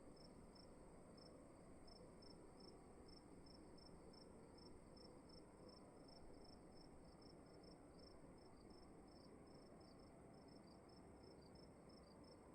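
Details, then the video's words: Cricket chirping inside a room: a regular train of short, shrill pulses, about two to three per second, with a second caller joining near the end, all above a soft constant drone. "Sound of emptiness and crickets in the room"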